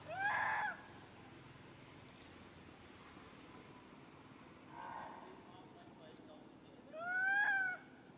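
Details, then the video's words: Mother monkey Handa crying loudly after a young monkey grabs her baby Handy: three arched, harmonic wailing cries rising then falling, the first and last loud and about half a second long, a softer one in between, over a faint noisy background. "Handa Crying So Loudly"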